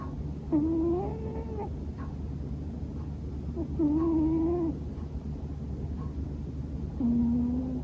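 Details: Sleeping pet Scottish Fold tomcat Bono gives hearty snores that almost sound like talking in his sleep. Three nasal, humming notes of about a second each, spaced roughly three seconds apart, over a quiet indoor background.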